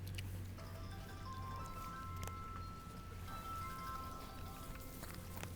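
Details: Soft chiming music with bell-like tones over a steady low hum, with no animal sounds.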